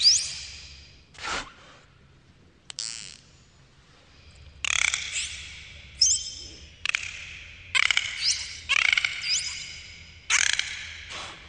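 Dolphins underwater give high, sweeping whistles mixed with harsh buzzing bursts of pulsed sound.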